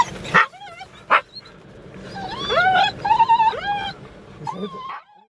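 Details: Wheaten Terrier making two sharp yips, then a drawn-out wavering whine that swoops up and down, ending in a softer falling whimper.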